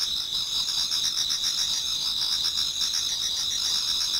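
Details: Short stretch of an autumn insect chorus in a Japanese garden before dawn: many overlapping high, buzzy trills holding steady, with faint rhythmic pulsing below.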